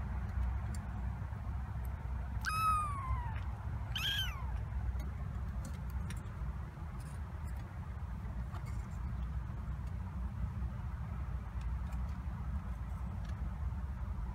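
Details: Kittens from Tituba's litter at the Carolina Kitten Ranch, 26 days old, seven in all including a fostered orphan, exploring the kitten coop: two high, sharply falling mews close together early on, then only a low steady hum.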